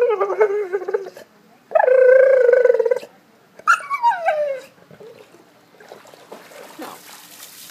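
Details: Golden Retriever Piper whines for a ball in a pool: a wavering whine, a loud sustained cry, then a sharp falling yelp, trailing into quieter noise.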